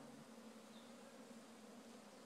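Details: Farm honey bee swarm, out of one of the hives and moved with ease on a pleasant day: a soft, unbroken low hum with a faint higher overtone, steady for about two seconds.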